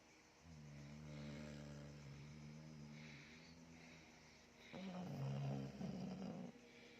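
A Chow Chow snores in two long, low, buzzy rumbles, the second louder and rougher.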